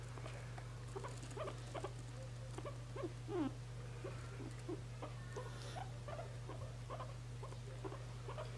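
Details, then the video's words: A guinea pig being held gives soft, short squeaks and chirps over a steady low hum. "抱っこされてきゅんきゅん鳴く可愛いモルモット cute guineapig"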